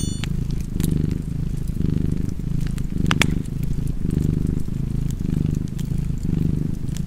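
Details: Domestic cat purring steadily beside a fireplace: a deep, low rumble swelling and easing about once a second with each breath, while sharp wood-fire crackles and pops sound above it.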